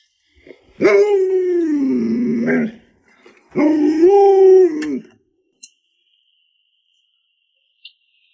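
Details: Pet Alaskan Malamute named Lolo gives two long, moaning, howl-like woos, each rising sharply then sagging and wavering, separated by a short pause, with a faint click or two afterwards in a quiet indoor setting.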